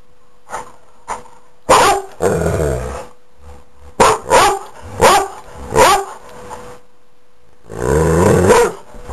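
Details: A pet dog, asked what he wants to be when he grows up, does not take it well: a string of loud, harsh barks and grumbling growls, about eight bursts over nine seconds, ending in a long drawn-out growl.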